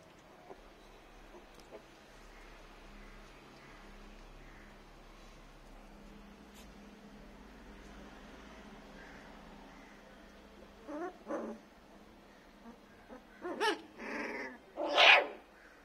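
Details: Native-breed puppies, 21 days old, learning to bark indoors: a long quiet stretch, then a handful of short, high, squeaky yips near the end, each burst louder than the last.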